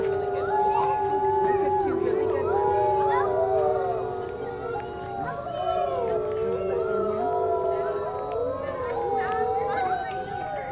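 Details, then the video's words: A zoo wolf pack at Woodland Park Zoo howls together in long, overlapping tones that slide up and down in pitch. "Wolf pack howling"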